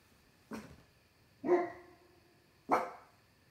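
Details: Dog barking out on a deck late on a summer night at something unseen: three sharp, separate barks spaced about a second apart, each a short broadband burst, in a quiet setting.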